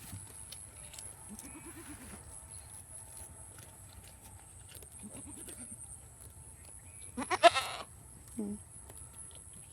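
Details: Domestic goats running around: two short wavering low bleats a few seconds apart, then a louder harsh burst near the end followed by a brief call, with a man calling out and faint background hum.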